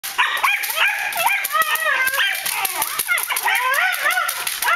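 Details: Malinois guard dog in defence and attack training, giving rapid high-pitched yelping barks and rising whines in quick bursts, with human speech mixed in.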